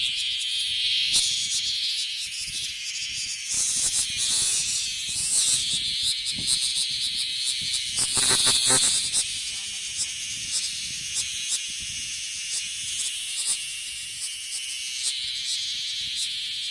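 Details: Bear cicada male calling from a park tree in the Kansai area of Japan; an intense high-pitched buzzing drone with rapid throbbing pulses, swelling louder around the middle, with light rustle and handling sounds underneath.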